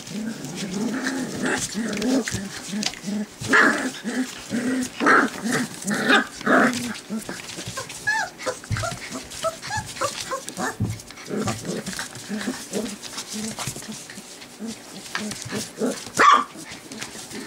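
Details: Four-week-old white golden retriever puppies, playing happily and trying out their barks, give thin, high yips and squeaky barks in quick, uneven bursts.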